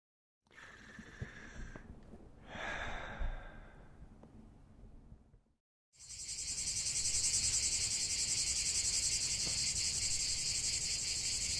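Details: Cicadas singing in a lavender field. After about six seconds of soft breathy and rustling sounds with a brief silence, a loud, dense, steady buzzing chorus starts abruptly and continues without pause.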